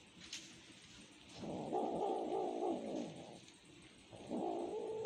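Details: A cat pleads for food with two long, sad-sounding meows, the first held nearly two seconds, the second starting after a quiet gap, over faint background hiss.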